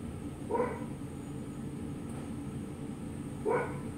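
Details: Two separate bright, short barks three seconds apart from Milo, a mini Frenchie who has spotted a flower and is trying to climb the plant, against a continuous low droning background.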